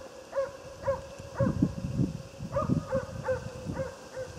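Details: Otis, a Jämthund, barks steadily while hunting moose. The sharp, ringing barks come roughly twice a second at an even rhythm, with brush rustling and footsteps close by.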